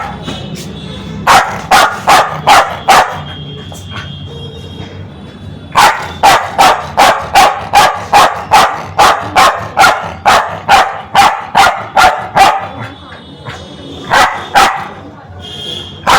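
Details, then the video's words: Aggressive, angry Spitz dog barking hard: rapid runs of sharp, loud barks about two or three per second, in two long bursts split by a short pause, with a faint steady tone humming underneath. "Spitz Dog🦮 || Aggressive dog🐾 || Barking dog || Angry dog"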